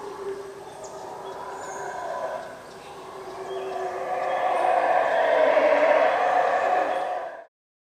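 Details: At the Yaxchilan ruins in the morning, a howler monkey chorus starts as a lower murmur. It dips, then builds into a loud, steady roar from about four seconds before cutting off abruptly near seven and a half seconds.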